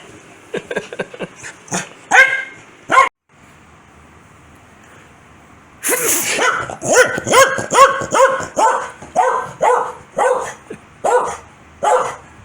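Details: Foxy, a pet Corgi, barking angrily each time its owner sneezes; sharp barks and yips in irregular bursts, a short pause, then a dense run of loud barks roughly once a second, with a person calling its name.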